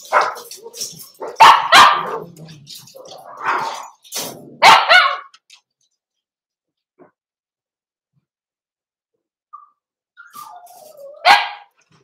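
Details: Indoor pen of Cavalier King Charles Spaniel puppies meeting bigger resident dogs, December 2022: a burst of five or six rapid, harsh barks over about five seconds, a long quiet pause, then a falling whine and one final sharp bark.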